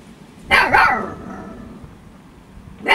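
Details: An eight-week-old female Husky puppy named Storm in playful mood gives a short double yelp, a sharp high bark falling into a longer whiny note, then quiet until another bark begins at the end.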